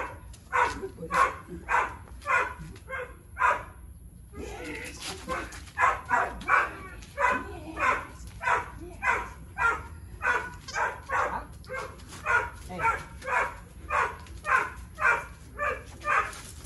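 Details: Three-year-old Boxer named Tyrion, keen on play and prey but not food, barking through a basic engagement and recall training session: a long, steady run of sharp barks, almost two each second, with a brief pause early on.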